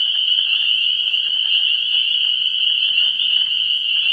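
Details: Frogs calling at a vernal pool in early spring, recorded 17 March 2016: a dense, unbroken chorus of high, shrill calls merging into one steady ringing tone, with faint low rumbling beneath.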